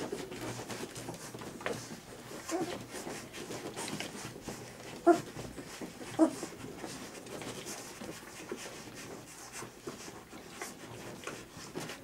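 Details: Three-week-old puppies, clumsy runners at play, squabbling for milk as their mother approaches; two brief high squeaky whimpers stand out near five and six seconds over soft rustling, shuffling and panting indoors.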